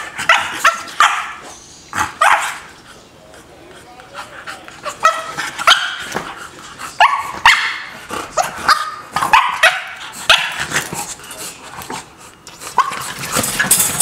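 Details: Lola, a dog heartbroken by barriers keeping her from another dog, gives a run of sharp, high barks and yips in irregular bursts, with pauses between volleys and human voices mixed in.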